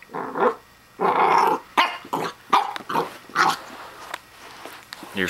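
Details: A Pembroke Welsh Corgi puppy gives short, high barks and rough growls at a plastic toy hedgehog it takes for real, while a person talks over it.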